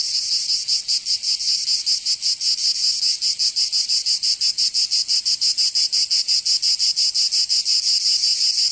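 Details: Summer cicada chorus in Provence, in the south of France. A dense, shrill buzz pulses rapidly and fairly steadily throughout, with no birds, wind or voices.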